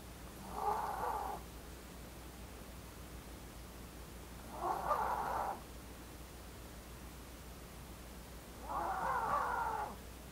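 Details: Snoring Maltese dog named Blue, a young female born in August 2018. Three hoarse, whistly snores come roughly every four seconds in a slow, steady breathing rhythm in a quiet indoor setting.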